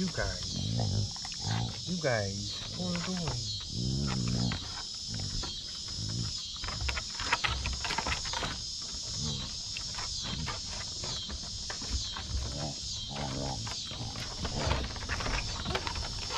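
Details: Basset Hounds playing together on a deck, Mo greeting his sisters: wavering, yodel-like grumbles and moans in the first five seconds, then scattered quieter grunts, under a pulsing insect chorus and occasional human voice.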